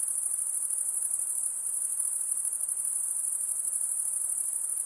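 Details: A continuous, very high, whining insect trill hums at an even level, with faint rapid pulsing in the drone and nothing else clearly audible.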